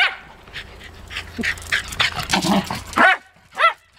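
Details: Twelve-year-old female Wire Fox Terrier, upset as party guests leave: rapid sharp barks and whines building up, then two drawn-out wavering howling yowls at the end.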